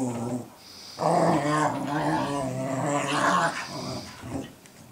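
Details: Sophie teaching Cooper to be a guard dog, the two dogs sounding off at each other indoors in December 2014; a sustained, strongly harmonic growl-whine runs for about three seconds, rising slightly near the end.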